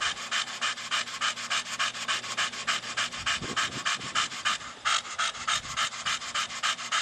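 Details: Staffordshire Bull Terrier named Brogan, a 4-year-old pet Staffie, pants quickly and steadily while playing with his big hard plastic ball, about three breaths a second, with a brief scuffling knock midway.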